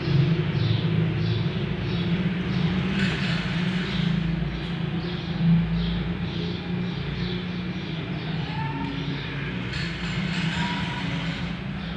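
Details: Heavy low rumble like a passing vehicle or train fills the recording, with faint human voices and no clear animal sound.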